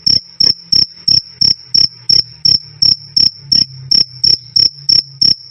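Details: Cricket (jangkrik) giving a crisp "krik krik", meant for tutoring songbirds. Sixteen short, sharp, ringing chirps in under six seconds, each a tight burst at a fixed high pitch, spaced with metronome-like regularity against silence.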